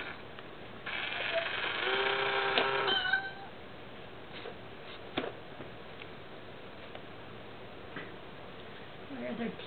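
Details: Pet cat Mayu reacts indoors to the small kitty of an Itazura coin bank; a drawn-out, harmonic meow lasting over two seconds opens the stretch, then only faint taps and handling noise remain.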